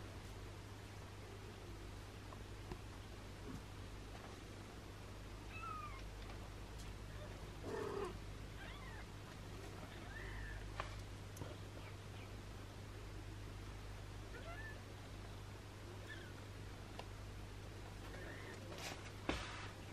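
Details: Kittens with their long-haired British mother cat, who is sheltered with her three kittens and an abandoned kitten; brief faint high mews come at scattered moments over a constant low hum and soft rustling.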